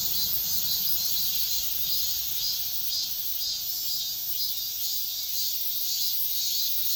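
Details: Cicadas singing at dawn: a dense, steady high-pitched buzzing hiss that swells and eases in soft pulses roughly twice a second, running unbroken through the whole stretch with no other clear sounds.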